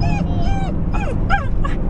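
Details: Dog at home where a 12-week-old Australian Shepherd puppy named Toby meets the Shiba Inu Gideon: a run of five short, high, whimpering yips, some bending up or down in pitch, over a steady low room hum.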